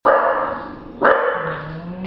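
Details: Female English Bulldog, about a year and a half old, fast asleep on a kitchen table. Two rasping, breathy snores about a second apart, each starting loud and fading.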